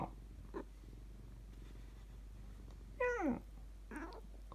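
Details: Domestic cat responding to being addressed in cat language indoors: one clear descending meow near the middle, then a softer short call, over a steady low purr-like hum.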